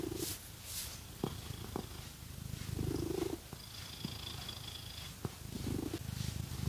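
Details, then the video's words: Domestic cat purring while being scratched with fake nails indoors; a steady low rumbling purr swells and fades in breath cycles, with a few sharp nail clicks and faint scratching, no talking. "Scratchy Cat Massage | 🐈 Lots of Purring"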